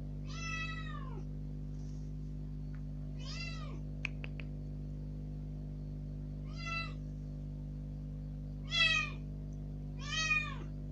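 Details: Rescued kitten, about three days after being taken in, first let out of its cage into a room, loudly demanding to go outside: five arched, harmonic-rich meows spaced a few seconds apart over a steady low indoor hum.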